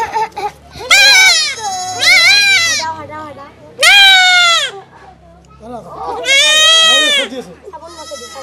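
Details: Young goat being castrated, crying out in a run of loud, high, quavering bleats, roughly one every second or two, with a low hum and faint voices in the background.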